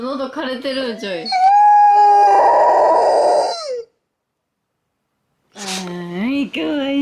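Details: Golden retriever indoors howling after being played a police car siren, its owner hearing it as sad. Wavering rising and falling howls with strong overtones, a long sustained tone in the middle, a pause, then more sliding howls.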